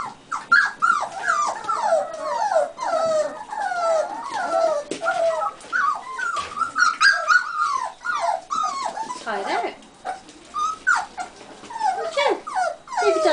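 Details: Several buff American Cocker Spaniel puppies at dinner time squeal and whine in rapid overlapping bursts. The high, bending yelps rise and fall without pause, with some scuffling and a person's voice nearby.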